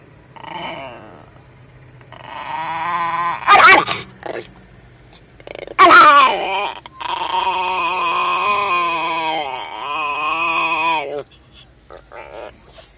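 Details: Mean Chihuahua named Diego, inside a car near the steering wheel, producing drawn-out, wavering growls and whines in several long bursts, with two sharp loud noises around four and six seconds and quiet gaps between.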